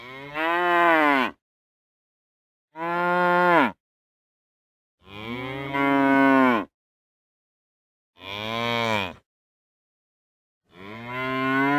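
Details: Cattle lowing in a series of five strong moos, each a second or more long with a rich harmonic tone that swells and then bends downward, spaced by short silences.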